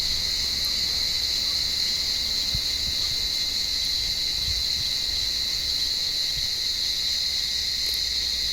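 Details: Warm-evening cicadas calling in an olive tree as cats search the branches for them; a loud, unbroken, high-pitched buzz with a fainter lower tone, steady from start to finish with little else heard.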